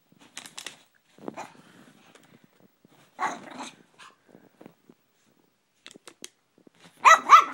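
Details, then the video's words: Brussels Griffon indoors, upset at a water bottle, giving scattered sharp barks and yaps between quiet gaps, with a louder, higher double bark at the end. "the Brussels Griffon doesnt like the water bottle"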